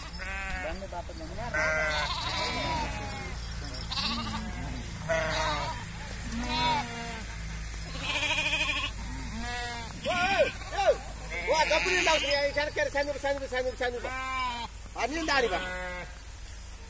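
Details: Flock of sheep on a village farm bleating almost continuously, with many overlapping quavering bleats at different pitches, some higher and thinner, over steady low rumbling noise.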